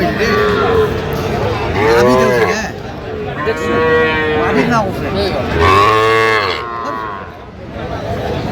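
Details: Sahiwal calves at a busy cattle market in Madaripur, Bangladesh, in January: three or four bellowing moos, each about a second long, arched in pitch, spaced two seconds apart, with people talking behind them.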